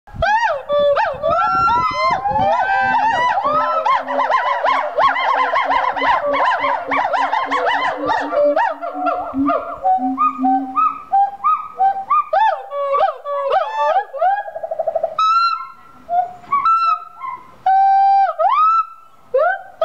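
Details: Captive gibbons singing at the Gibbon Conservation Center in Santa Clarita, California: loud, overlapping whooping notes that swoop up and down, speeding into rapid trills, with a lower sustained voice in the first half and spaced rising hoots later.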